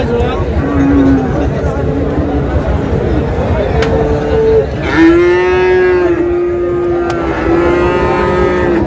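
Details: At Raniganj market in Dinajpur on 26 July, Friesian and cross-breed bull calves give a run of moos: short lows early on, then a long, steady bellow stretching about three seconds, with chatter and passing traffic behind.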